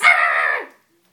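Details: Dobermann puppy frightened by a stuffed toy lets out one drawn-out, strained bark or yelp lasting about two thirds of a second, harsh and fading at the end, indoors.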